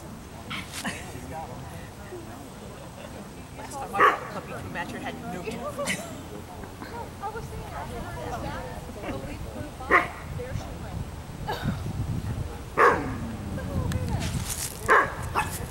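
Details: Ava, an Afghan Hound at a picnic, gives four sharp, loud barks spaced several seconds apart, near the 4, 10, 13 and 15 second marks, over a continuous background of people chatting.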